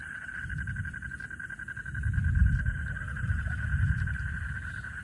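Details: A frog chorus gives steady, pulsing trills at night in a Bangladeshi village, over a deep rumble of thunder during a lightning storm.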